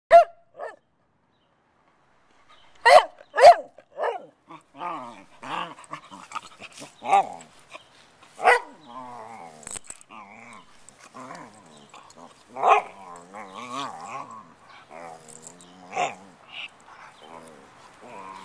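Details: Eazy, a playful puppy, barks while rolling around: a few sharp barks near the start, then scattered yips, grumbles and whiny vocal noises through the rest, with uneven pauses.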